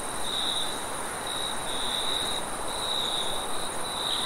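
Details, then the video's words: Crickets late at night give long trilled phrases of about a second each, separated by brief softer gaps, above a steady low background hum. "Cricket sounds"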